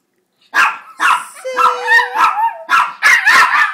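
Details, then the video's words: Two pet Chihuahuas "singing" to beg for a treat indoors: a rapid series of sharp, yelping barks and yips blending into a wavering, whiny howl, over a steady sustained whistled tone. "Chihuahuas sing for a treat"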